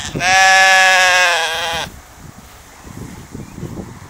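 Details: A sheep feeding in a field lets out one long, strong, wavering bleat lasting about 1.7 seconds, followed by quiet munching and grass rustling.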